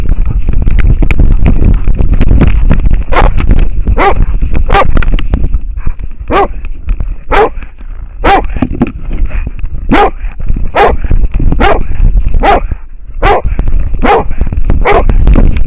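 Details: American foxhound wearing a camera harness, barking at a wild boar: loud, harsh barks in a steady, irregular series, about three a second at times, over constant low rumbling handling noise and a faint steady whine.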